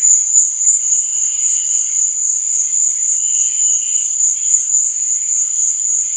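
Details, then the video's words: Night-time cricket chirping, one continuous piercing trill held level throughout, with softer hissing texture beneath it. "Cricket Sound"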